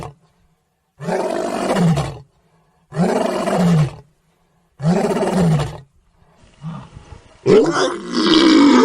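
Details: Lion roaring: three loud, deep, rough bursts of about a second each, separated by short silences, followed by a fainter growl and a harsher, noisier final roar.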